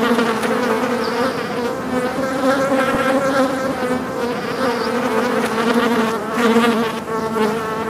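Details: Several angry flies buzzing loudly at close range: a dense, continuous droning hum with layered overtones, swelling and fading slightly as the insects move about, steady for the whole eight seconds with no other sounds.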